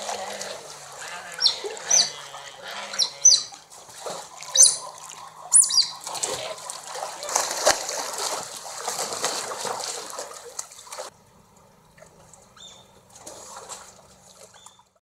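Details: Smooth-coated otters at Colchester Zoo in England saying hello with shrill chirping squeaks for several seconds, then splashing water and near quiet.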